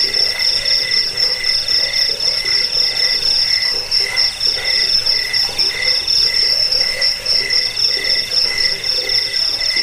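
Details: Cricket chirping intended as a rat deterrent, bedtime sound and bird-training track; a piercing, pulsed high trill repeats about four times a second, constant over the whole stretch with faint lower buzzing.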